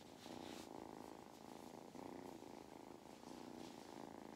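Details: Purring from Mustard, a farm cat in County Kilkenny, Ireland, enjoying belly rubs: an even, throbbing low drone with brief dips at each breath, plus faint hiss and rustle.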